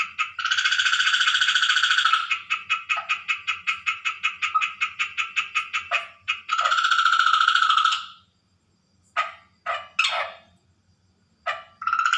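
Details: Water frog calling at night: a long buzzy croak breaks into a rapid train of short clicking pulses, then another extended rasp, followed by scattered brief croaks and a faint low hum.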